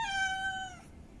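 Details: Single drawn-out meow from a female cat in heat calling for a mate, rich in harmonics, holding steady then sliding gently downward before fading after under a second.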